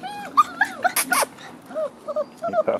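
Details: Frenchie x wolf pups at six weeks give high whining yips that rise and fall, interrupted by a burst of clattering noise midway, then a string of softer, shorter whimpers closing the stretch.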